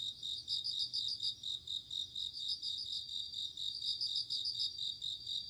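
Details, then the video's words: Bell cricket chirping at night in autumn, rapid shimmering pulsed bursts following almost without pause, layered over a constant thin high insect drone. "鈴虫 夜の虫 虫が鳴く夜の雰囲気"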